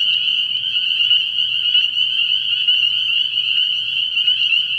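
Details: Dense chorus of many spring peepers at a frog pond at night in early spring, a shrill continuous wall of high peeps without pause, with a faint low hum beneath.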